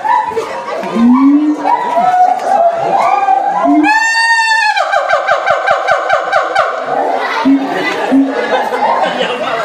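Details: At Ragunan Zoo, a siamang gives loud, tonal whoops that rise and ring out, then break into a quick series of pulsed, descending notes, while a crowd talks and shouts in the background throughout.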